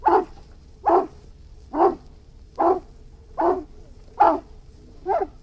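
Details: Irish Wolfhound barking: seven deep, hoarse barks spaced almost a second apart in a steady rhythm. A faint steady hum runs beneath.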